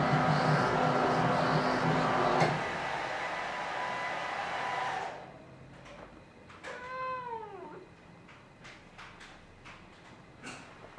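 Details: A domestic cat recorded in March 2021: a loud rushing hair dryer runs for about five seconds, then stops; a single drawn-out meow rises and falls, followed by light clicks and knocks.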